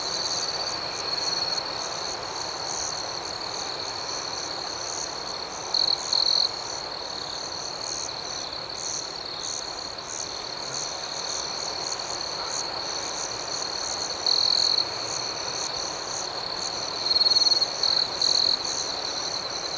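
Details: Crickets chirping at night, a constant high insect chorus with a nearer individual breaking in with short loud trilled bursts three times, the last as a quick double burst.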